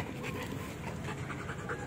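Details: Belgian Malinois in training, breathing in fast rhythmic pants, airy and noisy, between spoken commands to lie down and sit.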